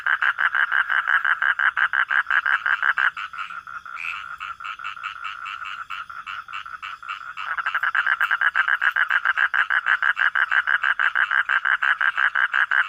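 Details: Frog croaking at night in quick, rasping pulses about three per second, softening to a continuous drone midway, then returning to loud, distinct repeated pulses.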